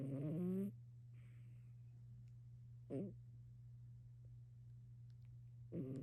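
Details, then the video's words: Loud domestic cat snoring while lazing: rough, buzzy snores with layered harmonics come in short bursts at the start, middle and end, over a constant low electrical hum. "Lazy Loud Cat! Greyson Snoring"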